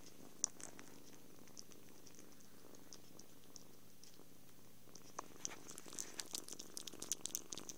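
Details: Contented kitten purring during cuddles, food and sleep; a low continuous rumbling purr dominates, with faint crackles and rustling growing toward the end, captured on a phone.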